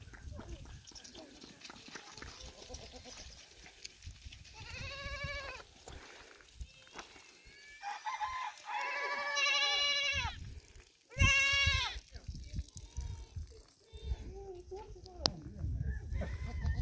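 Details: Icelandic goats at The Icelandic Goat Center Háafell, dated 8-7-2021; several loud, wavering, harmonic bleats, two short ones near the middle and a strong one later, with people talking in between.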